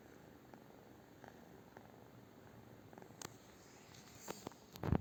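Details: British Shorthair cat giving a quiet, low continuous purr indoors, with a few sharp clicks and handling noises toward the end.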